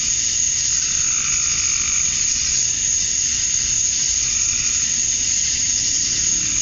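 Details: Cicadas sing at dusk on a Georgia summer night, males calling for mates; a continuous bright sizzling drone holds level throughout, with a faint rise and fall in a lower layer.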